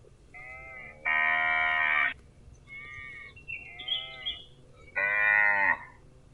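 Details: Cattle calling in a series of rich, nasal moos, two long, loud ones about a second each and softer, wavering calls between them, set against a steady low rumble.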